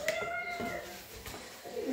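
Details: Homeless mother cat in Morocco, fearing for her kittens, meows at a family friend she attacked: a long, steady, mid-pitched meow that fades, then a brief softer meow near the end, with a short spoken word just before.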